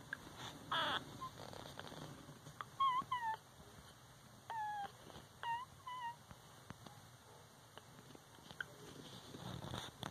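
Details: One-week-old Shih Tzu-Cocker Spaniel-Poodle mix puppies, a litter of one female and three males. Thin, high squeaks arch up then fall, in small clusters of two or three, with quiet gaps and soft rustling between them.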